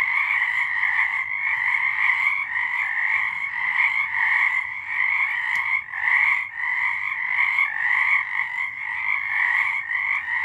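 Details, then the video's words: Frogs singing at night in March 2023, a dense unbroken chorus of overlapping trilled croaks in two bright bands, swelling and dipping slightly every second or so, with no other sounds standing out. "Frogs singing"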